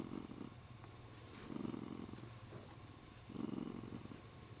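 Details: Male Siamese cat, happy while stroked and clutching the owner's arm, purrs in three rumbling bursts separated by softer breathing gaps, low and steady, in a quiet indoor room.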